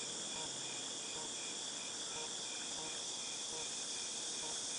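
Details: A cicada chorus from August 2018 makes a continuous shrill buzz that stays level throughout, over a soft, regular lower pulsing and a little faint background noise.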